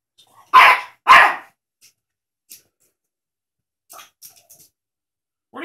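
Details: Teacup Yorkshire Terrier, a male pet dog indoors, barking at a cat shown on a laptop screen: two sharp, high yaps half a second apart, then faint small sounds and quiet.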